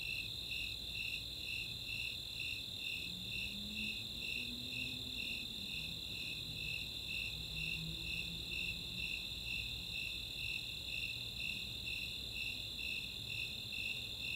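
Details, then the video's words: Snowy Tree Crickets and Four-spotted Tree Crickets calling together on a summer night in Chautauqua's open space, Boulder, Colorado; steady high chirps near two per second over a continuous trill, with a faint low drone rising and falling midway. "Nighttime crickets"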